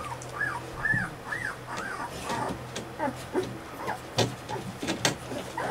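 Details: Alaskan Malamute puppies, 15 days old, giving a run of short arched whines in quick succession, then scattered softer squeaks and rustling, over a steady low electrical hum.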